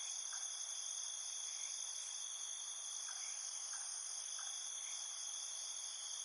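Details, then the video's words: Crickets at night producing a continuous, even, high-pitched shimmering trill in stacked layers, with a few soft short notes breaking through at intervals. "Soothing Cricket Chirping Sounds"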